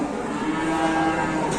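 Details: Large cattle being unloaded, one animal described as very tall with thin skin, giving a short steady low moo with strong even harmonics over roughly one and a half seconds, against a background of people and handling noise.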